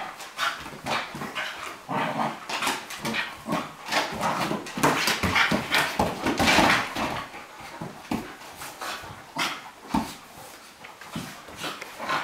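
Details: Bonzo, a Cairn Terrier, and Pippi, a Flat-coated Retriever, playing; fast, choppy growls and yappy half-barks repeat about twice a second, loudest midway, with scuffling throughout.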